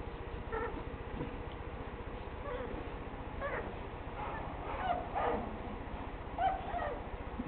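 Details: Four-week-old American Pit Bull Terrier pups, ADBA-registered litter of three males and one female, whimper and yip in short rising squeals scattered through the stretch, about five cries, over a steady low hum while a person talks to them.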